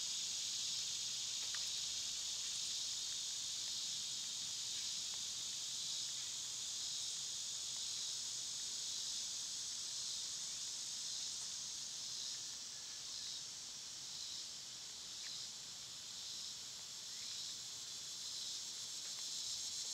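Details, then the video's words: Shrill summer cicada chorus that holds steady, then takes on a throbbing, rhythmic pulse in its second half, with occasional sharp chirps from other small creatures. "Cicada sounds"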